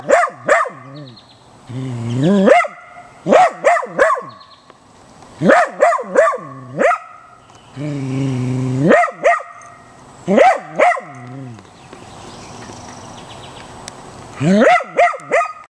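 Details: A Corgi agitated by a young gopher snake barks in rapid bursts of two to four sharp yelping barks, broken by low drawn-out growling moans, continuing steadily with short pauses.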